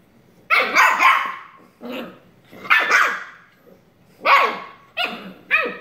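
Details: Shiba Inu puppy roughhousing with its sister, producing a run of raspy, strained barks and yaps, some with rising-falling whine tones, about six in six seconds.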